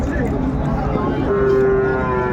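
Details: Sahiwal bull for sale at Ambari market, Dinajpur, Bangladesh, 13 December 2024; a steady low moo rises out of the noise halfway through and holds to the end, with chatter and outdoor market noise around it.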